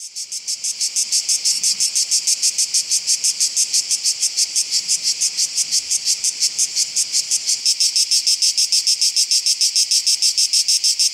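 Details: Cicada orni singing at Oasi le Chiesuole in July 2015: a loud, dry, high-pitched buzz broken into rapid, evenly spaced pulses, about several per second, swelling in at the start and holding steady throughout, with no other sounds.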